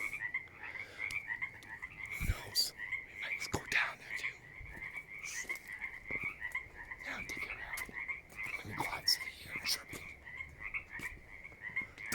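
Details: Many frogs outdoors on a walk back from a skate park, with crickets also heard, call in a continuous chorus of quick, trilling, high-pitched croaks blending into one buzz, with occasional footsteps and faint human sounds.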